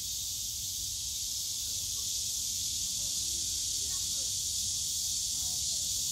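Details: Cicadas calling on a summer day in the bamboo grove of Yongsan Family Park, Seoul, Korea: an unbroken, steady, high-pitched hiss that fills the whole clip at an even loudness, with a faint low rumble of park background noise underneath.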